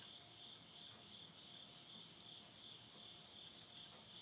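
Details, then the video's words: Insects calling at midnight at the end of summer, September 2020, in the Tottori countryside, Japan: a steady high double-banded trill runs unbroken, with faint crackles of wood burning in a stove. "the voice of insects"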